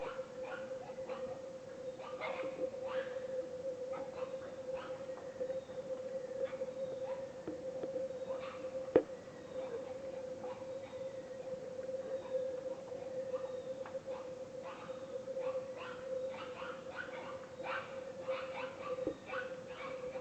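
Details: Wild boars in the Peruvian rainforest in December squeal in a rough, overlapping chorus over a steady insect-like drone.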